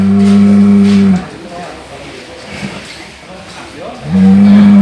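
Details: A cow making a sound called snoring: a sustained low humming tone cut off after a second, a gap of faint rumbling, then the same steady droning tone returning near the end.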